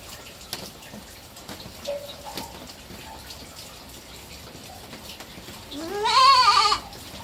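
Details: Bleating of a three-month-old baby goat kept as a pet: quiet room noise with small taps and clicks, then near the end one strong, quavering, rising bleat of under a second.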